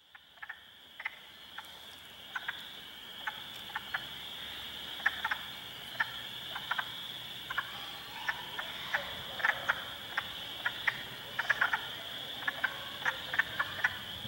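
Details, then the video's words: Hundreds of wild spring frogs calling in a swamp at Heartland Forest, Ontario, on April 2, 2022, with Spring Peepers, Wood Frogs and Eastern Chorus Frogs among them: a steady high trilling band with scattered sharp clicks and clucks over it. "Frog Sounds HQ HD"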